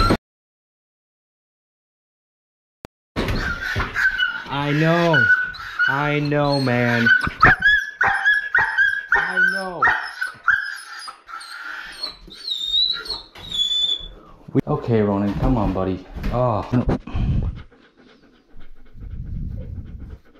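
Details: Fight at a dog park where a territorial pit bull attacks a Belgian Malinois: after three seconds of silence, bursts of loud, arching yelps and whining cries break out, overlapping with urgent human shouting, then fade into softer whimpers.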